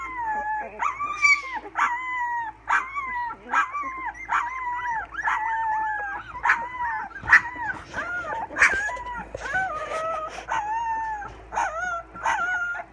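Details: A litter of English Springer Spaniel puppies, 16 days old, practising howling in June 2016: continuous overlapping high, arched whining howls, each about half a second, rising and falling in a steady chorus over a low electrical hum.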